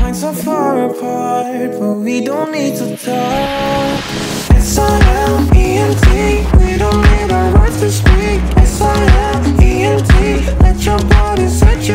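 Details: Steady pop and R&B music with a regular beat and sung melody fills the recording after a brief rising sweep, with no animal voice to be heard.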